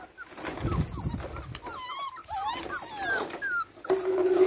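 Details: Labrador Retriever puppies growing louder at feeding time: a chorus of thin, high whines and squeals, some sliding up then down, others wavering, overlapping in bursts separated by brief pauses.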